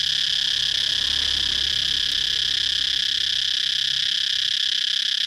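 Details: Cicada chirping: a dense, steady high-pitched buzz that holds without a break for the whole stretch, with a faint low rumble underneath.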